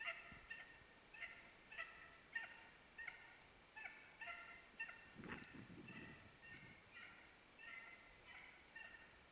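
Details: Dachshund on a hare hunt in Norrland, Sweden, giving distant ringing barks repeated steadily about twice a second, a brief low rustle or thump near the middle, otherwise quiet surroundings.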